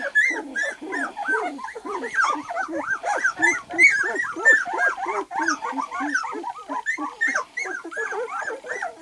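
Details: White golden retriever pups, two weeks old, just able to see and hear and crawling about, keep up a busy chorus of short rising-and-falling squeals and whines from several voices, irregularly spaced.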